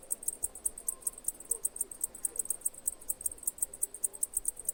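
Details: Cicada chirps as sharp, shrill high pulses repeating roughly six times a second in a regular rhythm over a quiet, soft background hiss.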